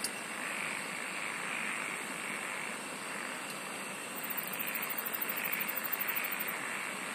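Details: Insects singing in a dense chorus: a steady, thin high whine over a broad hiss, with a rapid train of very high, evenly pulsed ticks starting after about four seconds and running on for over two seconds.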